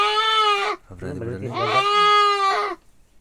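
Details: Male goat bleating loudly while being castrated. Two long, nasal cries are broken by a brief low man's voice speaking between them.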